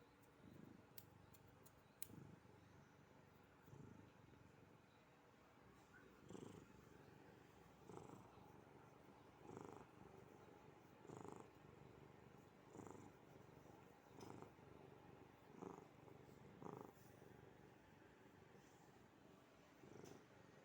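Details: Hazel, a one-year-old Maine Coon cat, dozes and purrs while being stroked, a sound likened to a tiger's. The low rumbling purr swells in regular pulses about every one and a half seconds in a quiet indoor setting.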